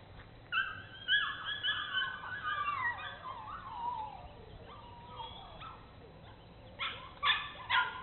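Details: High drawn-out whining from Bernese Mountain Dogs Mrs. Red and Mr. Green of Cape Bernese Kennel on an exploration tour; long wavering falling whines through the middle, then short clustered yips at the close.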